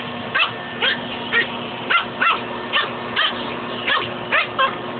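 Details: Domestic dog squaring off against a shop vacuum hose, giving sharp, short barks roughly every half second in an uneven rhythm, with a constant low droning hum underneath.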